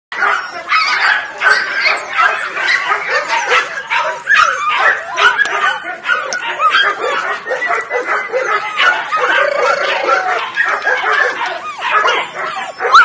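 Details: Litter of nine Weimaraner puppies, five males and four females, born 23 June 2017, in a dense, continuous chorus of overlapping high yips and squeals with no pauses, many voices calling at once.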